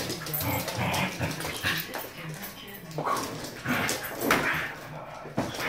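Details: A Basenji wanting to play gives wavering, whiny yodel-like calls, with a person speaking over them.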